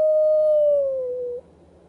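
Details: At a camp, wild dogs howl, one giving a single smooth howl, held steady and then sliding gently lower before breaking off.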